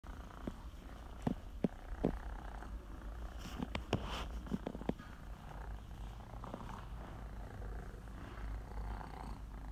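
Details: Female Scottish Fold named 希喜, rescued from a breeder collapse and treated for IMHA, once a hissing cat turned gentle; steady low rumbling purr throughout, broken by scattered sharp clicks and taps indoors.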